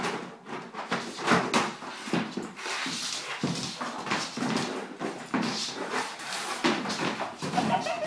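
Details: Monty, a bull terrier, has his 'funny hour' playing with his basket indoors, giving short whimpering and grunting noises between scraping, rustling bursts as the basket is tossed about in a small room.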